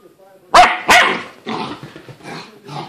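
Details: Puppy named Sydney just after a bath, letting out two sharp, loud barks close together, followed by softer rough vocal sounds and low mutters.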